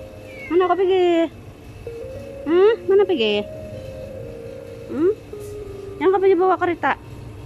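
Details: Rescued abandoned stray cat gives a string of short, wavering meows and chirps in several bursts, over a steady background tone.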